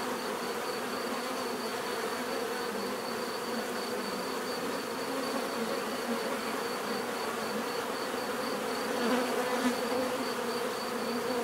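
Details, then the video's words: Steady collective buzz of bees, a thick humming drone holding level, with a slightly louder passing bee near the end and a faint high whine in the background. "bees therapy relaxing natural buzzing sound"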